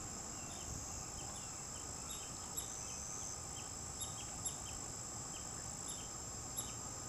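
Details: Young North American river otters calling while searching for their mother, who was seen with them earlier. Short, high, thin chirps come in irregular clusters, about a dozen over seven seconds, above a steady high insect drone.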